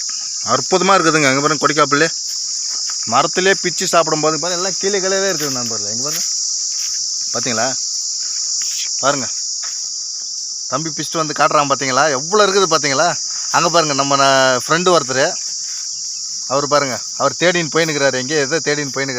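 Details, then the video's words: A continuous high, shrill cicada drone from a kodukkapuli (Manila tamarind) tree holds through the whole stretch, while louder wavering harmonic bursts come and go with silent gaps, including a long pause near the middle. "Sillu vandu satham kodikka Puli marathil kettu"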